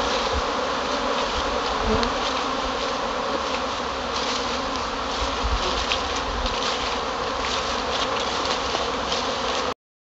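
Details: Many Buckfast honey bees out on a cleansing flight following a period of cold weather: a continuous, droning swarm hum with slight flickers of individual wingbeats, lasting nearly ten seconds before cutting off.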